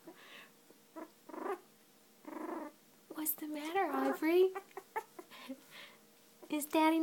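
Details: A two-week-old female Cocker Spaniel puppy, finding her voice, gives high, squeaky little growls and whiny grumbles in short bursts.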